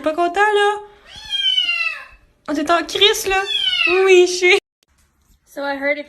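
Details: Domestic cat meowing indoors in a small room: several drawn-out, harmonic-rich meows, one falling in pitch, a longer wavering run of meows, then a short final meow after a brief silence.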